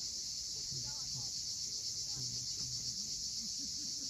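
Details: At sunset on the steep shore of Cape Fiolent, Crimea, cicadas sing a bright, continuous high buzz throbbing around four times per second, with soft low murmuring sounds beneath.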